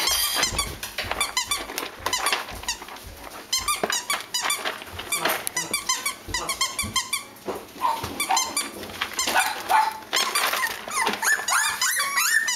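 Cavalier King Charles Spaniel puppies squeak and whine in high, overlapping bursts, with a few small yips.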